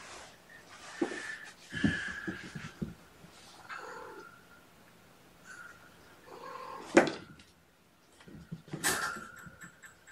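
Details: Sleepy foster kittens on a gentle wake-up, snuggled against a person indoors on weigh-in night; several thin, high, drawn-out mews come at scattered moments over soft rustling and handling noises in a small room.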